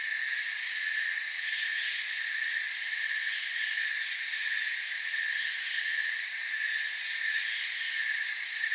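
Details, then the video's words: Dense cricket chorus, shrill sustained trills at several pitches running unbroken, with slight rhythmic swelling in loudness early on and a short burst of very high rapid ticks near six and a half seconds. "Forest Sounds and Crickets"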